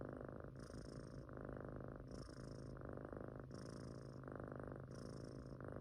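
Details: A sleeping Munchkin kitten snores softly in a steady, breathy rhythm. Each inhale-exhale cycle lasts about one and a half seconds, and roughly four cycles are heard indoors.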